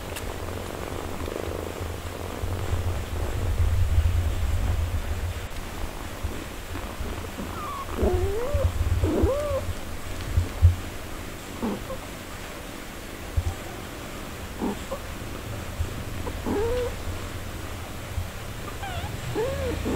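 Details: Nursing mother cat tending her four-day-old kittens gives a deep, continuous purr. Midway, thin, high, rising squeaky mews from the young kittens break in at scattered intervals over the low rumble.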